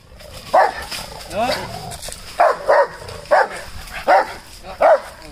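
A Rottweiler gives deep, gruff single barks, spaced irregularly about a second apart.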